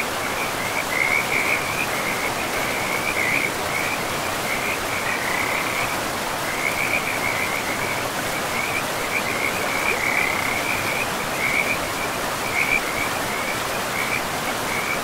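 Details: Frogs beside a river in a pristine, moss-covered forest, giving short raspy trills in near-continuous bursts, one following another about every second, over a steady rush of flowing river water.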